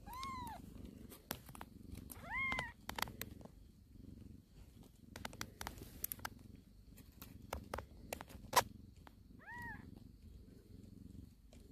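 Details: Cat of a warehouse cat family with newborn kittens, purring in a steady low rumble throughout, with three brief arched high meows near the start, middle and end, plus scattered sharp clicks and taps.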